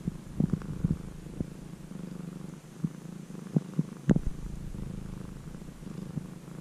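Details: Formerly stray kitten, cared for about three months and now almost a house cat, purring in a deep, constant drone recorded close up, broken by several sharp handling clicks and bumps.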